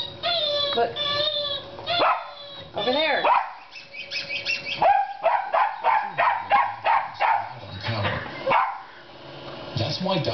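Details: Dog attacking a squeaking television, barking and growling in bursts against squeaky electronic tones, with a person speaking and laughing in the background.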